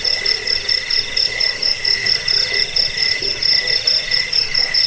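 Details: High-pitched cricket chirps, presented for repelling rats, bedtime listening and songbird tutoring; sharp pulsed bursts repeat about twice a second, steady and shrill, over a fainter lower tone.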